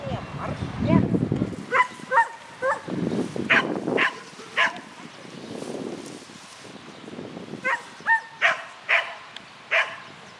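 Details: Shetland Sheepdog Lesya on an agility course, Spring 2016 event, neon class, 22 May 2016: sharp high barks come in short runs, roughly every half second, between stretches of human talk.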